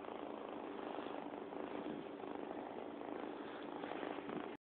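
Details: Pet cat purring close to an Android phone; an unbroken, rough, buzzing drone with a faint steady pulse, even in loudness for almost five seconds, ending abruptly, nothing else heard.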